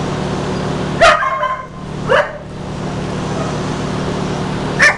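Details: Australian Cattle Dog (blue heeler) at an adoption shelter, recorded 31 July 2015: three sharp, separate barks about one and three seconds apart, each a short harmonic burst, over a steady low hum.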